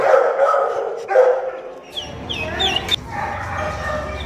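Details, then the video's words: Female Staffordshire Terrier in a shelter crying for attention: high whining whimpers and short yips rising and falling, with a noisy rumbling background in the second half. "Female Staffordshire Terrier Dog Crying For Attention"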